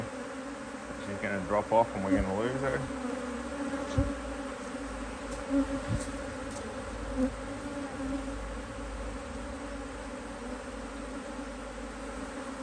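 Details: Honey bees from a thriving HiveIQ hive in Australia, almost mid-Autumn 2023, as it is opened to add a box of empty frames. Brief speech early on, then a long even hum with a few soft clicks and taps.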